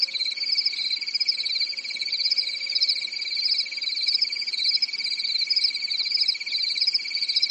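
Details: Crickets chirp on a calm summer night in a European forest, a steady, high, pulsing trill that never pauses.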